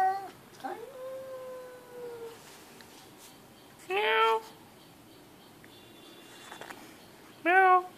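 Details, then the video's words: Pet cat talking with a long, slowly falling meow, then two short, loud, strained mews about three and a half seconds apart, against faint room hiss. "Cat talks like Humans"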